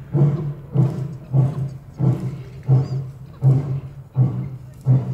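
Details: At Olomouc Zoo in the Czech Republic, a captive Barbary lion grunts in quick succession, about eight low, chesty huffs in five seconds, steady and rhythmic.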